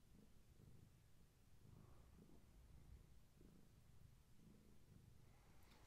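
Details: Long-haired tabby mother cat purring beside her kittens at bedtime, filmed by camera: a quiet, continuous low rumble with faint pulsing, with a small scratch near the end.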